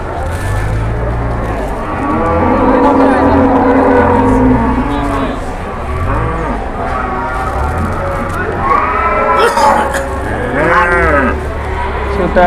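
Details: Cattle newly unloaded from a truck at an Indonesian livestock market, said to be enraged; a low, drawn-out moo with a wavering pitch dominates the early seconds, followed by people talking nearby and steady background murmur.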